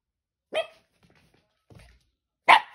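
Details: Puppy barking indoors: one sharp yap, a pause with faint shuffling, then a louder, harsher double bark at the end.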